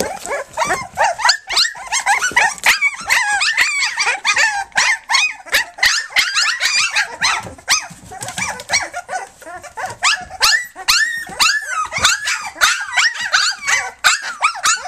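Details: Flute's three-week-old puppies nursing and playing on their three-week birthday, a dense chorus of high, wavering squeals and whimpers overlapping almost without pause, several pups calling at once.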